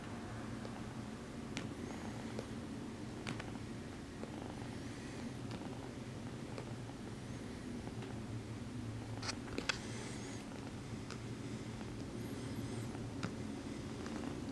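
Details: Sweet female Exotic Shorthair kitten kneading her human after petting, purring in a constant low throbbing drone, with scattered rustling, a few squeaky high sounds and light taps.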